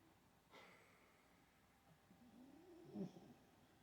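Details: An Olde English Bulldogge snores while sleeping, with a low, rough, rumbling breath that swells and fades.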